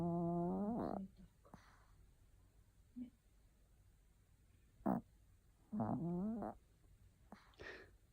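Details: Maltese dog named Non-chan, asleep and snoring fairly loudly: drawn-out tonal, whining snores with a rising pitch, one near the start and two close together around five to six seconds, with soft quiet breathing between them.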